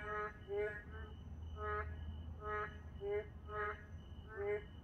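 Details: Late-night narrow-mouthed toads in a moonlit park give short, buzzy, harmonic croaks spaced about every half second to second, some notes rising slightly, with a constant thin high tone and low background hum.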